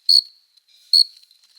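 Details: Two loud, ringing cricket chirps about 0.8 seconds apart, made by a male rubbing its forewings in courtship on a summer night, with a soft high hum between them.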